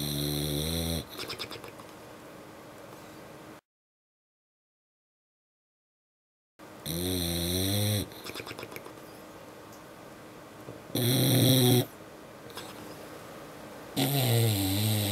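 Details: English Bulldog asleep after a long day at the beach, lip snoring in loud harmonic rumbling bursts between quieter breathing, one long gap of silence, then further snores with rattling, buzzy texture.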